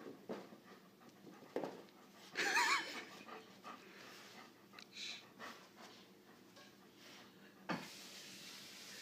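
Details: A dog panting softly while chasing a laser pointer: faint, rhythmic breathy puffs, one brief squeaky whine near the middle, with scattered thumps and quiet room noise.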